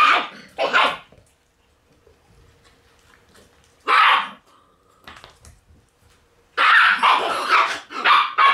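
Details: Black Shiba Inu puppy, a female born on 6 August, barking in loud, rough bursts: a double bark at the start, a single one near the middle, then a rapid string of four or five barks at the end.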